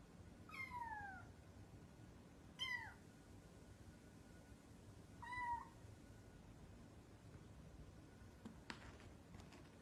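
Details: Domestic cat meowing indoors: three clear descending meows, the first longest and drawn out, then two shorter ones spaced about two to three seconds apart, followed by quiet room noise and a brief knock.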